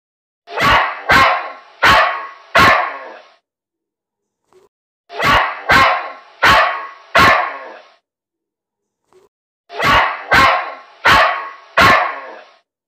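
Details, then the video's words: Dog barking in three bursts of four loud, harsh barks each, the barks evenly spaced about half a second apart and the bursts separated by silent pauses of over a second, with a clean, otherwise quiet background. "Dog's Barking"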